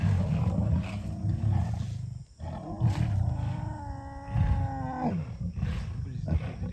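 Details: Lions of a small breakaway group of the River pride fight over a freshly caught steenbok, flushed toward them by African wild dogs, giving deep, rumbling growls and drawn-out, throaty moans that slide downward.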